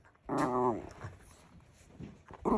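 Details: Shiba Inu indoors bluffing and showing off at a newly laid carpet, sniffing and rubbing against it; one short, loud, voiced outburst with a wavering tone, followed by quiet shuffling and a second outburst cut off at the end.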